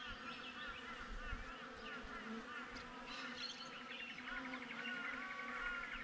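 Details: GoPro recording from outside a honey bee hive: dense, even buzzing forms a constant drone, with a few faint higher whistled notes rising in the second half.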